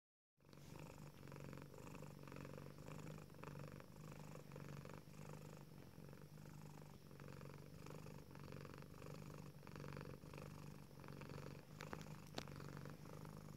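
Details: A female tuxedo cat purrs steadily with contentment while stretching her front paws in her cat tree, a low continuous rumble like a little motor, pulsing with each breath.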